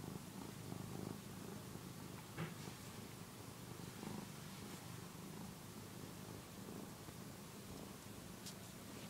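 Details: Purring of Phillip, a one-year-old domestic cat nursing on a soft housecoat indoors: a quiet, even low rumble throughout, with occasional small clicks over steady background hiss.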